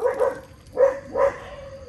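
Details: Otters in mangroves at mealtime, fed mullets: three loud, harmonic yelping calls in under two seconds, each a short bright cry, the last one drawn out and steady.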